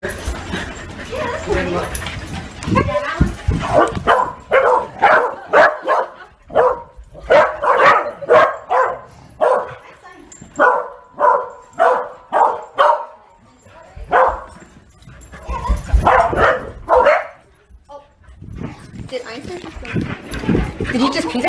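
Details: Welsh Corgi puppies barking while playing with a ball: runs of sharp, short barks, about two per second, in bursts separated by brief pauses, with a faint human voice at the start.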